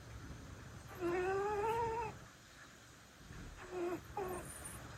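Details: Indoor domestic cat, one of five rescue cats living together, amid cat sounds played from a smartphone; a drawn-out meow rising and sliding upward for about a second, then two short clipped mews, in a quiet room.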